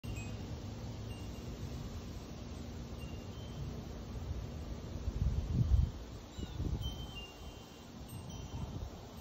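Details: Low rumbling wind noise buffets the microphone throughout, with a few gusty thumps midway and no animal voice.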